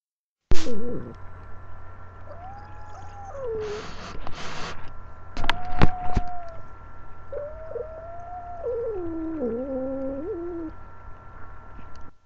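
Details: Angel, a pet female cat, objecting to being held: drawn-out, wavering tonal yowls, some flat and some bending downward, broken up by sharp bumps and handling noise in the middle and a steady low hum underneath.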